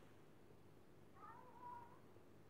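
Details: A naughty domestic cat gives a soft, short meow: a faint tonal mew followed by a slightly longer, level one, over steady low room hum.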